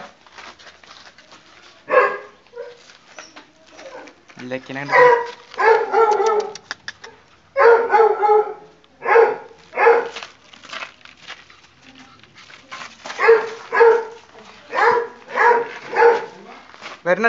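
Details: Playful pug puppy in a hide and seek game, barking repeatedly in irregular bursts, some doubled, across seventeen seconds, mixed with whiny voiced sounds and background chatter.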